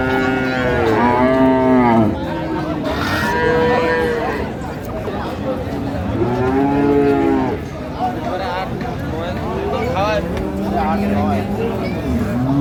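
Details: Dairy cows and calves of improved breed at Ambari livestock market in Dinajpur, lowing in long, harmonic moos that swell and fall, several calls overlapping amid a busy crowd of voices and market noise.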